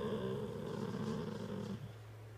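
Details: Senior female Golden Retriever talking to her owner, a low drawn-out grumbling growl with a buzzy, banded tone lasting under two seconds, then fading into a quiet room hum.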